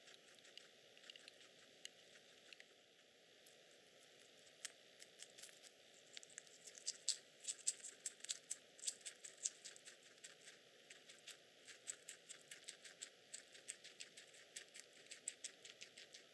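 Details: A male Teddy guinea pig chewing vegetables and fruit such as shiso, strawberry and bean sprouts, with crisp, rapid crunching clicks in uneven bursts and some stray background noise.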